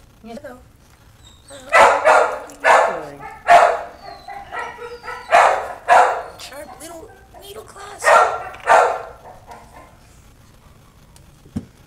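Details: A string of high, shrill puppy barks in quick pairs and triplets, with brief pauses between, then soft squeaks trailing off at the end.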